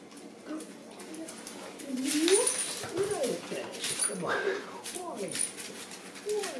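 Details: Pet dachshunds Wallie and Ida waiting for breakfast of canned dog food, kibble and farro, Wallie known to whine for his meal; high, wavering whimpers rising and falling, overlapped by human speech and light kitchen clatter.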